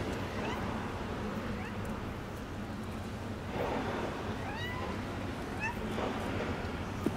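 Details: Street cat family in Istanbul, a mother nursing and watching her playful kittens, filmed from a distance: several short, high, rising meows scattered through the stretch over steady background construction noise.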